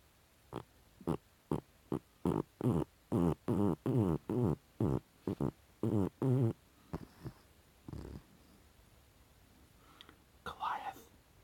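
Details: Goliath the Chihuahua snore-farting in his dreams: a series of about fifteen short, puffing snorts at a steady pace of roughly two to three per second, fading into softer breaths and a faint squeak near the end.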